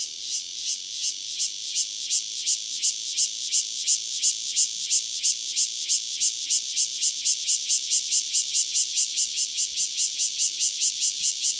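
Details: Cryptotympana takasagona cicada, one individual near Dona village, KaoHsiung County, Taiwan: a shrill, high-pitched rasping song broken into rapid regular pulses that grow slightly louder and faster through the recording.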